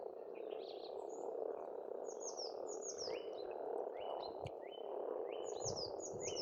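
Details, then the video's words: Spring frog chorus at an Estonian pond, a continuous low croaking hum from many frogs, with birds repeating sharp, high, downward-sweeping chirps and rising notes throughout. "Расслабляющее пение птиц и лягушек, весна, природа."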